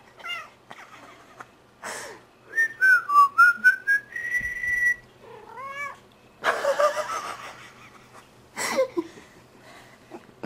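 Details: Domestic cat 'singing' along to a person's whistling at night: short wavering meows answer a sliding whistled phrase, followed by bursts of breathy, wheezing laughter and more whistled notes.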